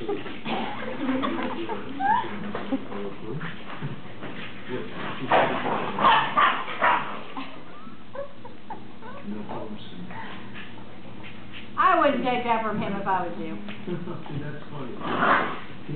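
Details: Ten-week-old greyhound pups playing with their mother: high whining whimpers and short yips scattered through, then a rapid run of wavering, stepped yelps late on, with human voices talking over much of it.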